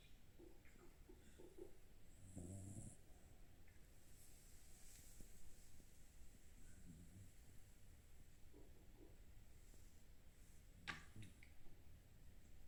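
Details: Sleeping pet Shiba Inu snoring, with stomach noises too. Soft, low rumbling snore bursts, strongest a couple of seconds in, then quieter breathy rumbles and a sharp click near the end.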